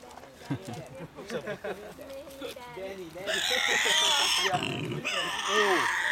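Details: Young Tasmanian devil joeys tussling and racing around their enclosure at Bonorong Wildlife Refuge, 8 July 2008: a run of low grunting, growling calls, then a loud harsh rasping screech, with visitors talking in the background.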